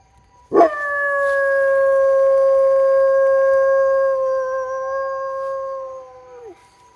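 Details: Weimaraner howling in response to a passing ambulance, one long sustained mournful howl with rich overtones lasting about six seconds, steady in pitch before dropping sharply at the end, over a quiet background.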